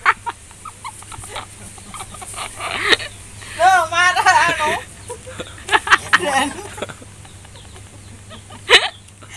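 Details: Etawah goat mother with her three newborn kids: a quavering, wavering bleat with stacked tones rises midway, bracketed by scattered short clicks and knocks over a steady low hum.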